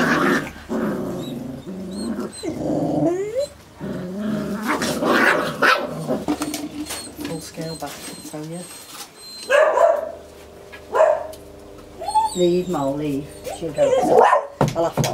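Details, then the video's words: Irish terrier pups, recorded 12-2-11, giving high whines, short rising squeals and yelps in irregular bursts, with people talking throughout and a steady low hum underneath. "IRISH TERRIER PUPS"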